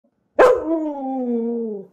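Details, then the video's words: A pet Husky indoors gives one fierce werewolf-like howl: a sharp onset sliding into a steady, slightly falling tone held for about one and a half seconds. "Husky makes a scary werewolf awoo"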